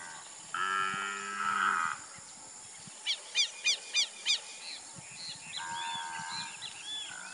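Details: Nelore beef cattle on an extensive Brazilian ranch lowing: two drawn-out, tonal moos of about a second and a half each, with a burst of four or five sharp, repeated bird chirps between them and faint background birdsong.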